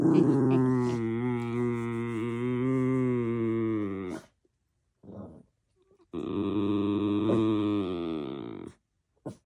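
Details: Male miniature schnauzer indoors warning his owner about the neighbors: a long, drawn-out, harmonic moaning growl lasting about four seconds, a brief pause with faint sounds, then a second sustained grumbling howl of about three seconds.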